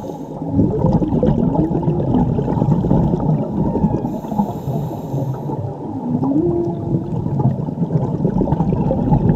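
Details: Whale mother and calf singing underwater while divers are present, Mexico, around Cabo Pulmo and La Paz; low, moaning tones that rise and fall in slow sliding sweeps over a constant rushing, bubbling water background.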